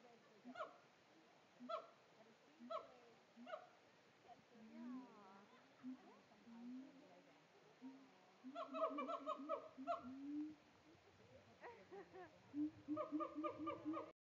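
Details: A male siamang at Tampa Zoo, putting on a show, gives loud, harmonic barks and hoots, repeated in quick bursts with a few rising swoops.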